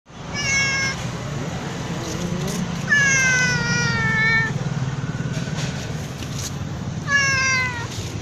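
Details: Black cat meowing loudly: three long, drawn-out meows, the middle one longest and falling slightly, over a constant low rumble of traffic outdoors.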